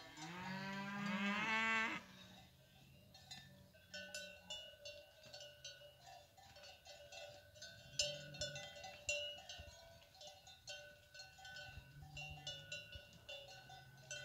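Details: Cows of a fighting breed with their calves coming down from the hills: one loud, rich moo at the start, then only steady clanking cowbells.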